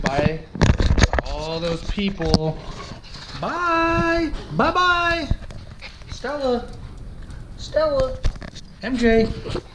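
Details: Siberian Husky puppy, a female, left home alone for about 30 minutes indoors with a GoPro attached: a series of tonal, harmonic whines and howl-like cries, some rising then holding steady, separated by short pauses, with faint patter and bumps.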